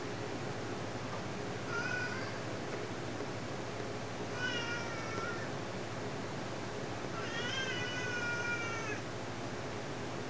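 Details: Two-year-old pet cat meowing while playing with its owners indoors: three drawn-out, harmonic-rich meows near 2, 4.5 and 8 seconds, the last the longest and slightly wavering, over a steady low room hum.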